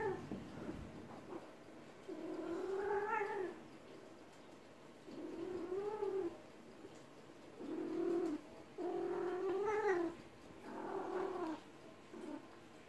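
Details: Female-heat cat calls during a massage: softer, lower moaning yowls rising then falling, about every two seconds, over a quiet room background.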